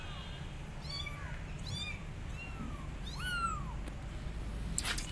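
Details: Abandoned kittens on a gate meowing loudly for their mother cat: a run of high, bending meows, some rising and some falling, repeated about once a second over a low steady rumble.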